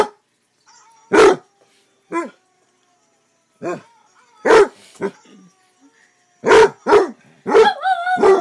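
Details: Barking from a male pet Basset Hound: single sharp barks spaced irregularly with quiet gaps, closing in a quick cluster of barks that trails into a wavering howl.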